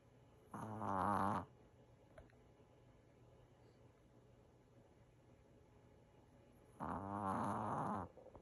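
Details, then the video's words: Sleeping five-year-old Maltese dog, worn out after being chased, snoring indoors; two rough, buzzing snores about six seconds apart, each under a second long, with near silence between. "マルチーズ 5歳きらちゃんのいびき"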